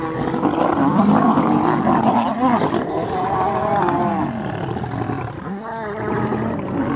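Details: Lions fighting at sunrise on August 11 as three Birmingham Boys males clash with the Nkuhuma Pride and cubs: loud, continuous harmonic snarls and roaring growls that rise and bend in pitch, overlapping without pause.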